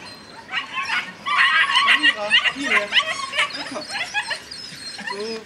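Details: Eleven White Swiss Shepherd puppies, almost nine weeks old, at a breeding kennel being let outside in the morning: a dense chorus of high yips, whines and squeaks from many pups at once, with a person calling over them.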